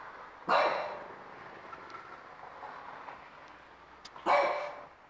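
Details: A 4-month-old French Bulldog, angry at the TV, gives two sharp, loud barks about four seconds apart.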